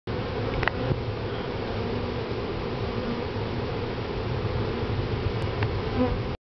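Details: Bees giving a steady, dense low hum that holds unbroken for the whole stretch, with a few faint clicks and knocks on top.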